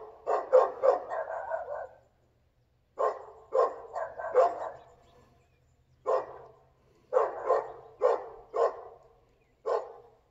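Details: Dog in Volcano, July 7, 2022, barking in bursts: quick clusters of three to five sharp, mid-pitched barks separated by short silent gaps, roughly eighteen barks across ten seconds against a quiet background.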